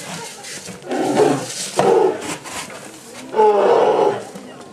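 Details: Two young male polar bear twins in a Japanese zoo enclosure, winter morning of 27 February 2010, one warning the other away from a yellow tube; three harsh, broad growling roars of under a second each, with people talking in the background.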